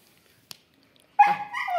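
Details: Female Siberian Husky named Kittu, excited at the prospect of a walk; after near silence, a sudden loud yelping whine that wavers and trails off in pitch, inside a small room.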